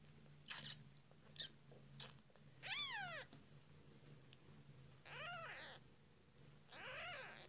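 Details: British Shorthair/Longhair kittens only a few days old give thin, high, arching mews, each rising then falling, a few seconds apart, during feeding.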